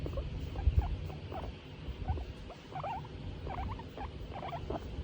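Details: Tomato, a female skinny pig in a happy mood while being stroked, gives short chirping squeaks in loose irregular bursts over a low background rumble.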